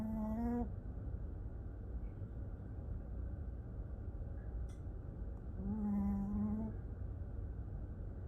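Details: A snoring dog during sleep: a brief droning snore ends at the start, then a longer, slightly rising nasal snore arrives about five seconds later, steady low rumble underneath throughout.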